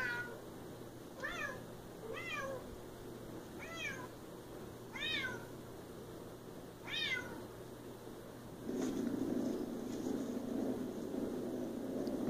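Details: Siamese cat named Bella meowing indoors, a series of short rising-falling harmonic meows repeated roughly every second and a half, followed by a burst of low rustling noise near the end.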